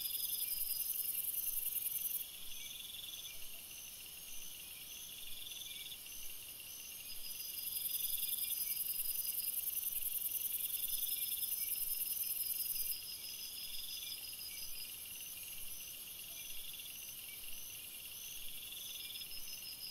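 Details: Nighttime crickets in a forest, several insects trilling together; pulsed chirping bursts come and go every few seconds while a piercing high continuous whine switches on and off.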